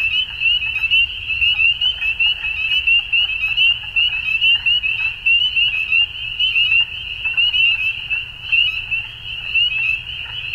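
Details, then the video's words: Frogs in Ontario, Canada, calling together at dusk in springtime; shrill piping notes pile into an unbroken high-pitched wall of sound, with quick repeated chirps and muffled lower croaks underneath. "Frog Sounds At Dusk"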